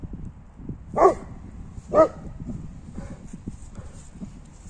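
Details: A 4-year-old female Newfoundland dog playing in the snow gives two deep, booming barks a second apart, then softer, fainter sounds.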